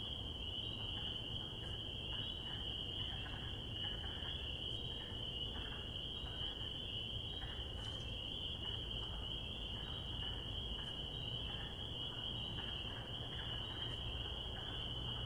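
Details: Spring peeper. Spring peepers call together in a thick chorus, their high, sharp peeps overlapping into a continuous shrill ring. A low rumble of background noise runs underneath throughout.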